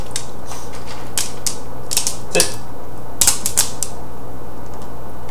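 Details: Rapid mechanical clicks and clatters, like tapping keys, over a constant low hum indoors.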